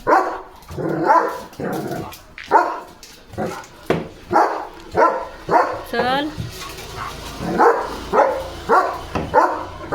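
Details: German Shepherd, with a small puppy nearby, barking repeatedly in steady, evenly spaced harsh barks while a person speaks over them.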